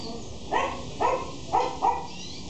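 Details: Male Shih Tzu in Mexico letting out four sharp, high-pitched yips spaced about half a second apart, the last two closer together, with a low constant hum underneath.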